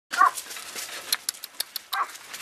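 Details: Scottish Terrier puppies eating their kibble at mealtime: sharp crunching clicks scattered through the clip, with two brief nasal whines at the start and near the end.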